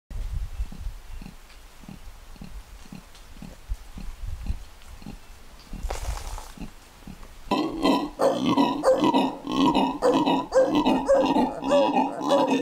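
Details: Black howler monkeys in Barba Azul Nature Reserve, Bolivia, give deep, rhythmic grunting roars that swell into a loud, pulsing chorus.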